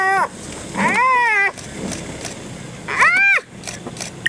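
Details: Spotted hyenas of one clan, an adult relentlessly attacking a young one: two loud, arched, whining squeals with strong harmonics, separated by a quiet gap, over low background murmur and faint human voices.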